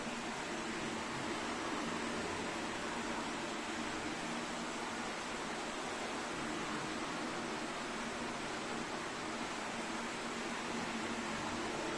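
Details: Even hiss of indoor air-handling noise at a zoo hippo house, with no animal sounds.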